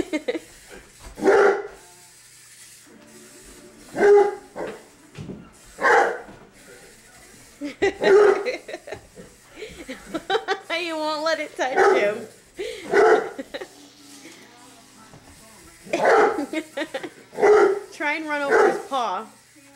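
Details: Indoors, Dozer, a young English Mastiff aged 7 months, barks excitedly while chasing a remote control car: repeated short, deep barks every one to two seconds, mixed with people talking and calling to him.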